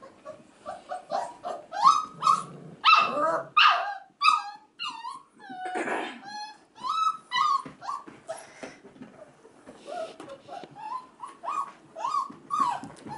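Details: Crying of male F1b Goldendoodle puppies, five and a half weeks old, heard behind playing female pups and kids indoors. Dense run of high whines and sharp yips, some rising and falling, with scuffling noise midway.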